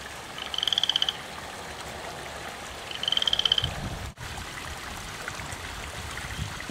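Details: Loud frog in a garden, calling from about 5pm to 5am: two pulsed trilling croaks roughly two and a half seconds apart, then a brief thump and steady low noise.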